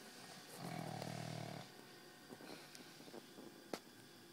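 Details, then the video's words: A very tired dog gives a single deep, buzzing snore of about one second, followed by quiet breathing, small clicks and a sharp tap, with a steady hum underneath. "My dog snores like a truck driver"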